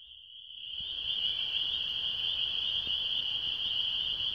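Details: A frog chorus in Michigan during mating season rings out in a steady, high, shrill trill that starts abruptly and holds unbroken.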